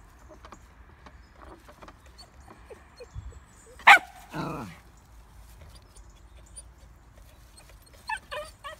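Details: Scared Pomsky, Bentley, meeting a big hog through a fence for the first time while out walking: a sudden loud bark followed at once by a longer, harsher drawn-out bark, then a softer yip near the end.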